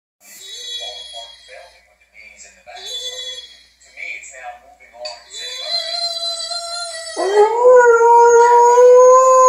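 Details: Pet Doberman indoors, howling as if singing to its owners: broken, wavering whimpers and howls mixed with people's voices, then a long, loud, sustained steady howl with rich harmonics in the last two seconds.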